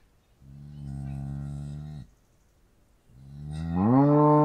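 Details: Two cow moos: a long steady low moo of about one and a half seconds, then after a short silence a second moo that climbs upward in pitch and grows louder.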